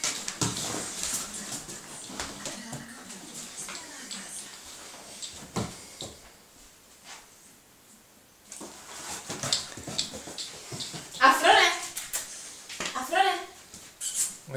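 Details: Hungarian Vizsla playing with a pillow indoors gives two short whining cries with rising then falling pitch near the end, amid shuffling, rustling and a person's voice calling the dog.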